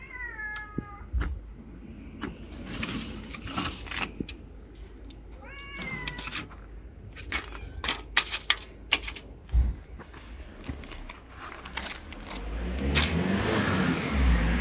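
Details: Homeless tabby street cat hugging a leg and pleading for food: two clear, drawn-out meows, the first at the start and another near six seconds, each sliding downward, amid clattering, rustling handling noises and louder street noise toward the end.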